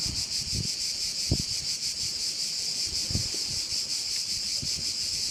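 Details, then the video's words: Crickets at a bay on Korčula, Croatia: a constant high, pulsating insect drone dominates, while a few short low knocks and wind gusts break in beneath it. "Korčula - view of one of the bays in Korcula with sounds of crickets"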